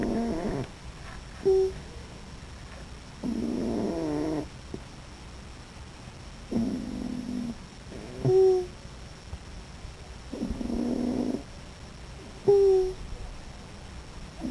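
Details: Molly, a raccoon, snoring in her sleep: alternating low grating snore breaths and short squeaky piping notes, repeating several times at uneven intervals, with a faint steady high hum throughout.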